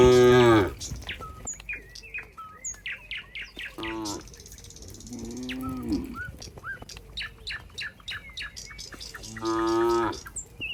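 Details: Cows in a barn with a cowherd among them: a loud moo opens, shorter lows follow at four and six seconds, a final moo near ten seconds, many sharp bird chirps in between.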